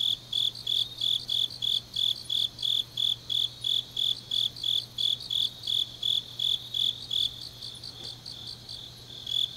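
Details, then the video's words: Autumn grass insects singing deep at night in Changnyeong, South Gyeongsang, Korea: a high, steady chirping pulse repeated about three times a second, with further faint shrill chirps layered above and a low constant hum beneath. "깊은밤 가을 풀벌레 소리"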